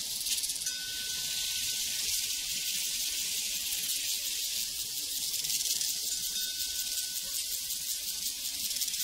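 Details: Crickets chirping on a prairie, a dense, steady, high-pitched shimmering chorus with fine rapid pulsing throughout, while a faint sustained metallic ring from a cowbell sounds twice in the background.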